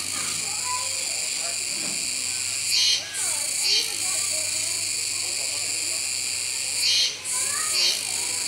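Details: Kuroiwa cicadas calling at Neo Park Okinawa, Japan, on 16 October 2021 while capybaras feed nearby: a dense, steady high buzzing drone with brief louder swelling pulses about four times, and faint scattered lower chirps and rustles beneath.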